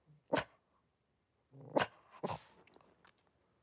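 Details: Litter of five blenheim Cavalier King Charles Spaniel puppies with their mother Paris in a home puppy pen, January 2023: a short sharp yip, then two more harsh bark-like bursts close together, in a small indoor room.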